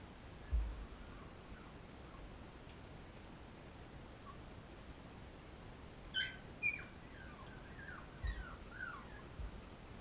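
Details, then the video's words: Labrador Retriever puppies, 13 days old, nursing from their mother Cecilia; faint, thin squeaky whimpers come in short bursts, mostly in the second half, over a steady low background hiss. "Labrador Puppies Nursing"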